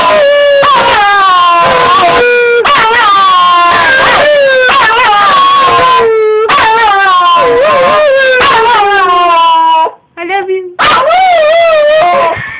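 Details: Wire Fox Terrier howling excitedly while greeting its owner coming home for the weekend: long, loud, tonal howls sliding slowly downward, broken by short gaps and brief yips, with a quieter break near the end.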